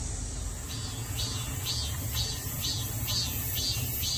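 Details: Cicada recorded at home in Daegu: buzzy pulses repeating about twice per second over a steady high hiss, with a low rumble of traffic underneath.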